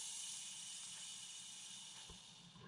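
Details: Montpellier snake, a calm individual, reacting defensively as a hand is brought toward it: a steady, breathy hiss of airy high-pitched noise runs unbroken for almost three seconds, fading slightly near the end.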